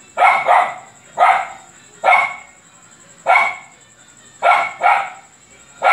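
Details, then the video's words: Luphe, a dog, barking a lot: about eight strong, raspy barks, some paired, spaced roughly a second apart, with each one quickly fading. A constant high whine sits in the background. "Luphe latindo muito !"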